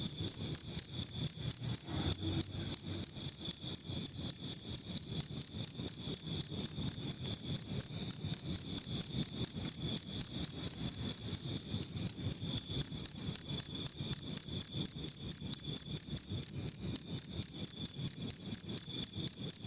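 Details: Natural cricket chirping used for teaching birds to sing: a long run of rapid, high, sharp pulses, slightly quickening and swelling in loudness mid-way, with no other sounds present.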